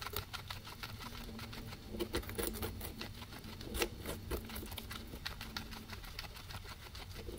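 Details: Guinea pigs, two of them, chewing grass, taken with a ZYLIA ZM-1 microphone array; steady fast crunching and clicking bites, some louder snaps, over a noticeable low hum.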